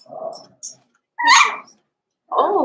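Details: Young blenheim Cavalier King Charles Spaniel pups from a small litter born November 14, 2022, kept indoors in a puppy pen; a low moaning whimper, then a sharp, loud yelp, then a wavering, falling whine.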